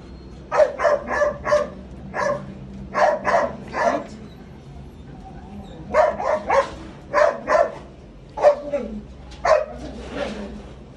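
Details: Lukas, a Belgian Malinois, barks during raw feeding time: sharp, mid-pitched barks come in rapid bursts of two to four, with short pauses between the bursts, against a quiet background.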